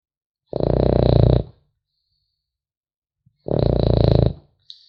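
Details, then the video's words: A French Bulldog pup snores while sleeping: two gravelly, buzzing inhalations roughly three seconds apart, each about a second long, with a soft snort at the end and nothing else audible. "Храп щенка французского бульдога"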